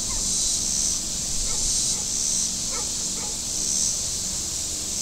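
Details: Cicadas on the shore of Table Rock Lake, southern Missouri, on a very warm Saturday: a high, hissing chorus swelling and fading about every second and a half, with faint scattered chirps and a low hum of boats on the lake.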